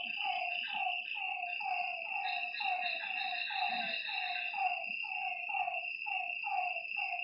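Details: Lakeside frogs at night give a steady run of brief falling croaks, roughly two per second, set against an unbroken shrill buzz of night insects.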